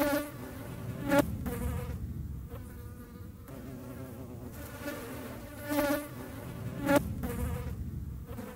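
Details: European hornets observed in the wild in the Eifel: a low humming buzz with bright overtones, swelling in short bursts roughly every few seconds as insects pass near, with a few sharp clicks.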